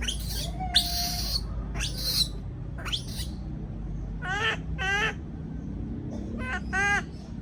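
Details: Young caged monkey calling when afraid of being left alone; harsh screeches followed by rapid stuttering, rising chattered calls repeated in short bursts, with steady low hum behind.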